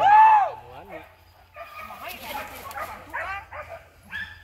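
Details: Village dogs hunting wild boar give loud, arched barks and yelps as many boars scatter, with people shouting over them.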